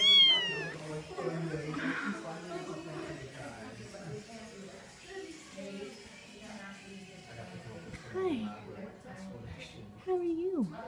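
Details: Cats and kittens meowing indoors, a high falling meow at the start, then low murmuring voices, with short rising-falling mews near eight and ten seconds.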